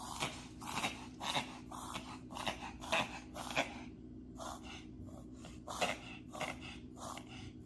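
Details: Allergic pet dog reverse sneezing indoors: quick runs of raspy snorting gasps, about two per second, with a brief pause in the middle before the snorts resume.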